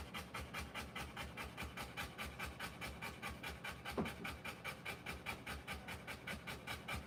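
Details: Rottweiler in labour delivering puppies: rapid, rhythmic, hissing pants at roughly 146 per minute, with one short knock or thump near the middle and no other voices.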